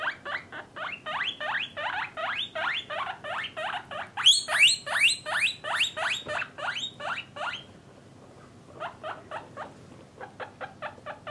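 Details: Domestic guinea pigs, parents and young housed with males and females in separate cages, wheek in a loud, rapid series of rising whistled squeaks nearly three per second, breaking off briefly before a softer run of shorter squeaks resumes.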